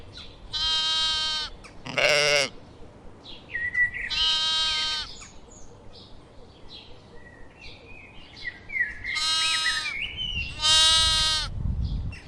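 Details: Several sheep bleats, long and quavering with rich harmonics, including one higher, shorter cry, spaced a few seconds apart, while small birds chirp softly in the background.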